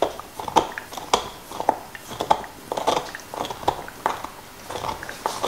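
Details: Nixon, a black Labrador Retriever, eats his favourite beef bone indoors. Crunchy, irregular clicks and wet mouth smacks come roughly twice a second, with licking noises and no talking.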